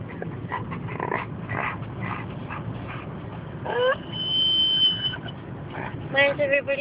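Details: Dogs whimpering and yipping in a moving car, excited to get home; short high whines with a long steady squeal midway and rising yelps near the end, over road rumble and a person talking.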